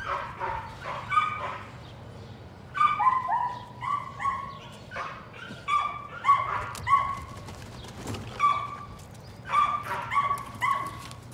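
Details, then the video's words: Excited yelps from Patterdale Terrier pups at evening rat work in a puppy pen: clustered bursts of high, clear yips, three to five quick notes per burst, pausing between bursts, with soft thumps and a faint background hum. "Patterdale Terriers- More Patterdale Puppies Working Rats"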